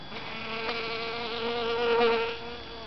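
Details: A honey bee collecting pollen in a calla lily inflorescence gives a steady, low, droning buzz that swells slightly louder before easing off.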